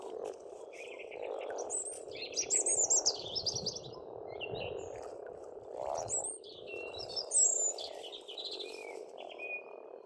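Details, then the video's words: Frogs at a pond on a farmstead in Estonia in spring: a steady dense croaking chorus forms a continuous low hum beneath loud bright birdsong, with whistled phrases and quick trills rising and falling above it. "пение птиц и лягушек"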